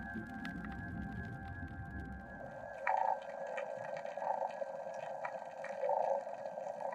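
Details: Corvina 'snoring' in the Gulf of California at night, made with the swim bladder, heard for long periods and likened to human snoring, used in courtship or as warning; raspy mid-pitched bursts recurring every second or two over steady underwater hiss.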